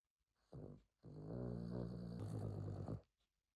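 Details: Snoring pet dog that woke its owner, heard indoors as a short snort followed by a sustained two-second low, rattling rumble with a slight drop in pitch partway through.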